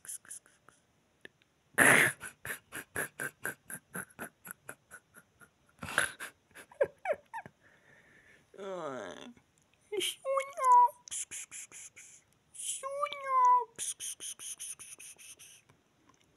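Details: A domestic cat indoors gives two drawn-out meows, each bending up then down, around the tenth and thirteenth seconds. Human laughter comes in quick rhythmic bursts before them, with a sharp loud burst near the start.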